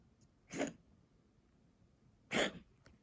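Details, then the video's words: Asthmatic tabby house cat, February 2021, gives a pair of rasping, explosive coughs roughly 1.8 seconds apart, each brief and noisy, with near silence around them. "咳の様子 coughing cat"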